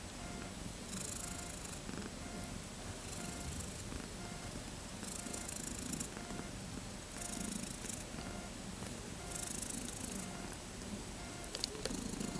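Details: Kittens thirteen days old, born 31 August 2014, wanting to play: a soft, low, pulsing purr rumbles through, with repeated hissy bursts of rustling noise every couple of seconds.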